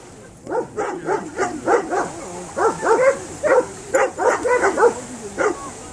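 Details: Landseer dog at water rescue training in the Czech Republic, barking excitedly in a run of about a dozen short, tonal, yelping barks, some in quick pairs, with faint background noise.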